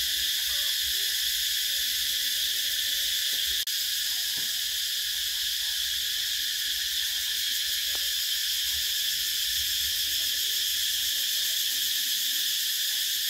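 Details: Vietnamese cicadas in summer produce a continuous loud buzzing whine, even and unbroken throughout, with a brief click near the four-second mark and faint low background sounds.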